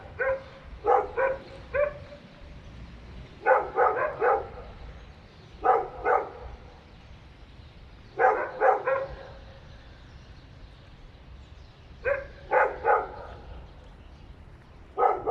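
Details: Apartment-building dogs, three of them, barking in bursts of two to four rapid barks every two to three seconds over about fifteen seconds, described as going on for many hours; a low background hum throughout.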